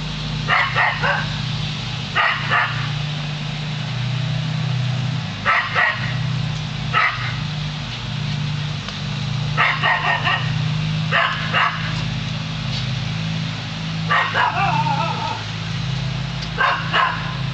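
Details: Border Collie named Lasky barks at a hot air balloon. Sharp barks come in irregular pairs and clusters, roughly eight bursts over seventeen seconds, above a constant deep droning hum.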